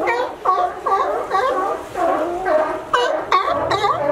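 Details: Sea lions resting on a sunny California dock after scaling a fence; a run of hoarse, bending barks, several short sharp honks near the end standing out over the group.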